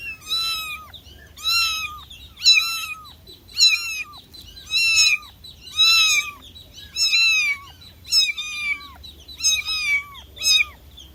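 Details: Kitten calling for its mother with a sad cry: a steady run of high, thin mews about once a second, each bending downward, fairly even in loudness over a low background hum.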